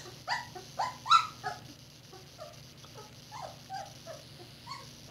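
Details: Litter of four red Standard Poodle puppies, about two weeks old, born April 10, 2018, eyes beginning to open; three loud, sharp squeals open the clip, then softer scattered whimpers trail off over a steady background hum.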